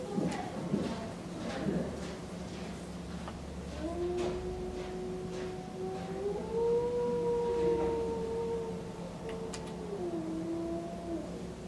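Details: Male five-year-old eastern timber wolf in a zoo in Tokushima, Japan, recorded 17 January 2017, howling in the afternoon: one long, smooth, steady tone lasting about seven seconds with a slight rise and gentle dip, after clattering knocks, over a constant low hum.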